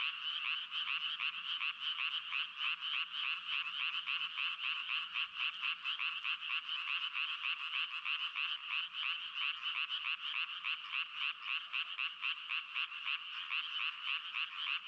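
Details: Frogs calling in a dense, continuous chorus of rapid, pulsing croaks, many overlapping voices merging into a steady rattling trill with quick rhythmic beats throughout, no other sounds standing out.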